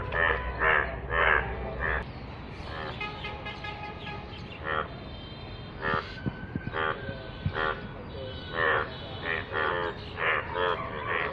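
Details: Indian bullfrogs (yellow frogs) call in rainwater in bursts of harsh, pulsing croaks, several voices overlapping in a loose chorus; finding: Indian bullfrog.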